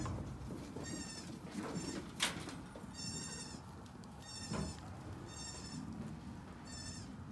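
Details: Young Nigerian Dwarf goats, May 2, 2019, calling repeatedly: six short, reedy, trembling bleats spread evenly over several seconds, with a brief thump and a low continuous hum underneath.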